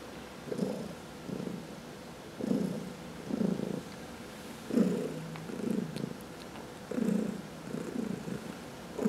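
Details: Cat purring under massage, one of four house cats, some of them senior shelter adoptees; strong rhythmic rumble with breath-like swells about every second, a few faint clicks and rustles.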